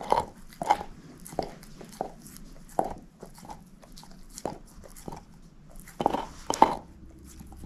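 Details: Moose, a female shepherd mix dog, gnawing on a bone: sharp, broadband crunches come in irregular bursts, some clustered and some spaced about a second apart, over a quiet background.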